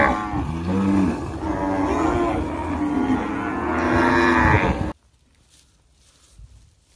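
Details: One sustained cow moo runs almost five seconds, rough and harmonic, swelling slightly louder toward the end before cutting to near silence with faint background rustle.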